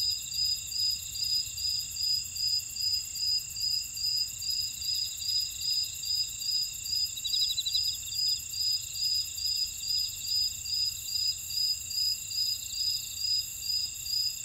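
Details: Grass insects calling in a Jeju buckwheat field, Ora-dong, South Korea; evenly spaced high-pitched chirps about 146 per minute ride over layered continuous buzzing, with a brief rasping trill midway.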